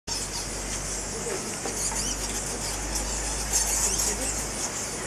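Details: Fruit bats roosting by the thousands at the mouth of a large cave at Goa Lawah Temple, Bali; a dense, unbroken wash of high-pitched squeaking chatter, steady throughout, over a low background hum.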